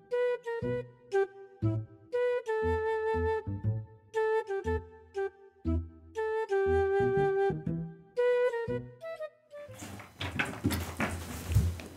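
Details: Flute-like melody with steady notes and a soft bass line, ending in a burst of broadband noise.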